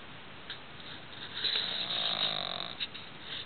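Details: Roxy, a pug, snoring loudly while asleep at night in a dark room; a rasping, buzzy snore swells and fades over about two seconds, with short snorts before and after.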